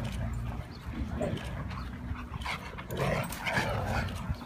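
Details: Playing Siberian Huskies (Mia, Nola, Bender, Fry and Max) make rough growls and short whining yelps at irregular intervals over a constant low rumble.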